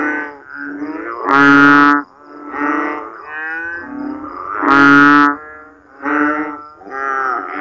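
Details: Frogs calling at night after heavy rain during the Philippine rainy season, where rainwater pools in backyard swales and ditches; loud, nasal, moaning croaks rich in harmonics, in overlapping bouts of about a second, two much louder blasts standing out.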